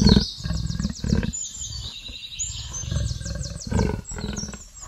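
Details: Leopard making repeated low, grunting roar pulses roughly every second, while birds twitter and whistle steadily in the background.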